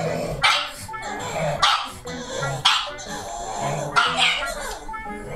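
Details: Two Pugs, a male born December 2019 and his mother, a female born March 2016, bark loudly in excited bursts, one high and sharp, the other deeper, over faint music. They rarely bark this much; it is excitement at a visitor's arrival (the owner's mother).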